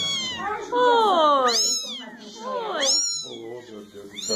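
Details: Kittens at play giving several overlapping meows, some long and falling, others short and rising, high-pitched and harmonic, with voices speaking nearby.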